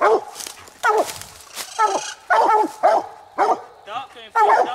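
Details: Two coonhounds, Nite Ch Fit and Nite Ch Cindy, bark on a night raccoon hunt, the second coon of the night. Sharp, ringing barks repeat roughly every half second, some with noisy, breathy edges.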